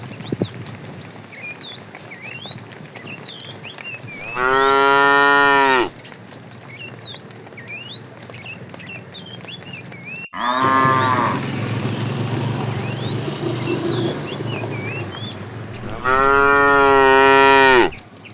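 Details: In the morning, tame cows being herded run toward green pasture, giving long, loud moos, each a deep harmonic drone, with small birds chirping behind.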